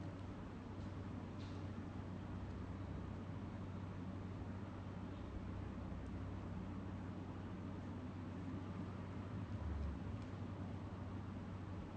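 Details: Quiet steady rumble like a passing vehicle or traffic, broadband and low, with no animal calls.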